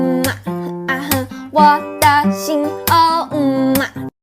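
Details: Strummed acoustic guitar accompanies a singing voice in short phrases, and no animal is heard.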